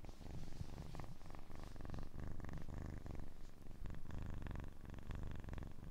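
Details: Kitten purring for a relaxation recording: a steady low rumbling purr, dense and continuous, with fine rapid pulsing throughout and no other clear sounds.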